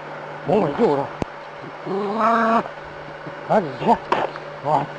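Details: Dog confronting a snake, giving short arched yelping barks in quick pairs at the start and again near the end, with one longer drawn-out bark between them, over a steady low hum.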